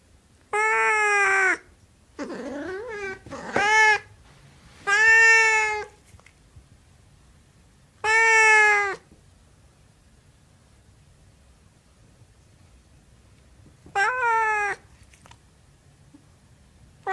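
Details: Siamese cat vocalising in bursts: several long harmonic meows, one with a wavering, swooping pitch, clustered in the first nine seconds, then a long silence before a final rising meow.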